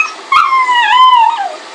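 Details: Pug and Boston Terrier cross dog whimpers once, a single nasal cry lasting about a second that rises briefly, wavers, then slides downward and fades. Nothing else is heard against the quiet background.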